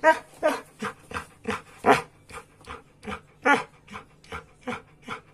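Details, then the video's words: Samoyed demanding breakfast, as every morning, with a steady run of short whiny barks roughly every third of a second, varying in loudness. "My breakfast!!!"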